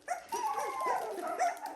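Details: Dalmatian puppies at 17 days old in a pen: a high, thin whining whimper that slides gently up and down, about 1.8 seconds long, with a brief yip at the start and a short rising whine near the end.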